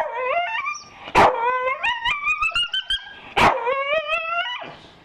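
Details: Staffordshire Bull Terrier offered breakfast, producing a long, high, wavering whine that rises and falls like a howl, broken by two sharp yips, before a person says "roll over".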